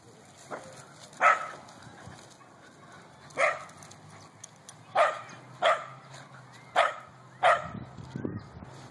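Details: A corgi at a corgi meet-up gives short, sharp barks in an irregular series, with a person speaking briefly; Corgi.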